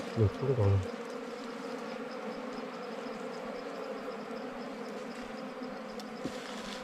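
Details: Bees disturbed during a wild honey hunt: after a loud low thump and rustle in the first second, an even, continuous humming buzz carries on steadily, with a faint click near the end.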